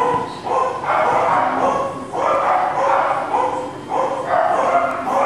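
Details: Male Cockapoo puppies, four brothers named Kujo, Louie, Oliver and Bo, recorded 18 April 2014; loud, tonal puppy yips and whines come in four drawn-out bursts roughly a second apart, with faint talk in the background.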